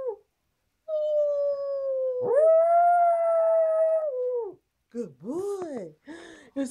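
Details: Pet dog howling in excitement over a favourite snack indoors: long, steady, tonal howls held for several seconds, then shorter rising-and-falling wavering howls, with a person howling along and brief praise.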